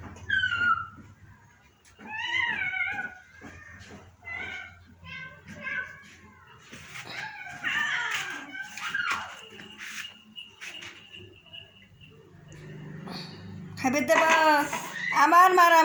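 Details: Pet cat at home being coaxed to eat rice and fish after three days away; a series of short, arched, nasal meows every second or two, mixed with a person's talk, ending in a louder, harsher cry.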